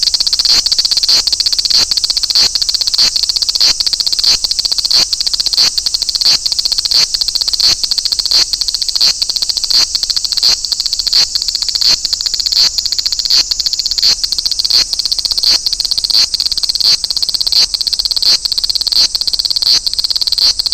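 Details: Large brown cicada song recorded at Toyanogata Park, where the species fills the park with chorus in August: a dry, high-pitched sizzling buzz broken into regular pulses, steady and unbroken for twenty seconds.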